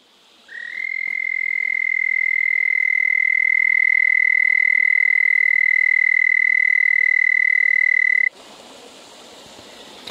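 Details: Frog singing at night beside a creek at a remote desert canyon camp, recorded close up: one long, steady, high musical trill held for about eight seconds, then cut off, leaving quiet background hiss.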